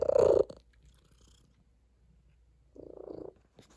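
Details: Female tabby cat purring on a table indoors: two short, quiet, rumbling pulsed bursts, the first at the start and another near the end, with near silence between.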